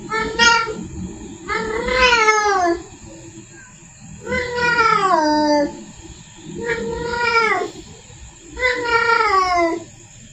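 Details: Domestic female cat in heat calling to bring a male near: five loud, arched yowls roughly every two seconds, each rising then falling in pitch, with indoor background hum.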